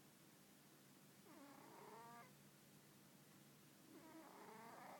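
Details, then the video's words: Cannoli the cat, asleep, snores twice, about three seconds apart. Each breath is a drawn-out, nasal, faintly whistling rasp over a steady low background hum. "Cat Cannoli snoring"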